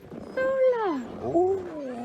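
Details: Alaskan Malamute sled dogs at the Mush Larose Sled Dog Club in Larose Forest, Ontario, Canada, before a winter run at -30 degrees C: a single drawn-out howl slides downward, then a second wavering howl follows.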